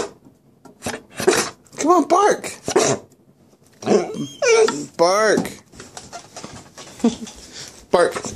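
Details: Blitz, a stubborn male Dalmatian indoors, is trained to bark on command but offers semi-barks and odd noises instead. Wavering, whiny, grumbling half-barks rise and fall between a person's repeated urging to bark.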